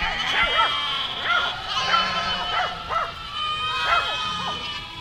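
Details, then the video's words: Goat herd walking through a village, bleating repeatedly; several overlapping wavering calls come one after another throughout, with a steady high hiss in the background. "Efeito sonoro de rebanho de cabras caminhando por uma aldeia"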